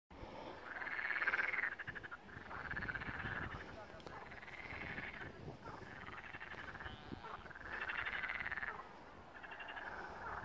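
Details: A chorus of frogs singing at the first pond at Malaya Danilovka gives rough, rattling croaks in overlapping bursts, each about a second long.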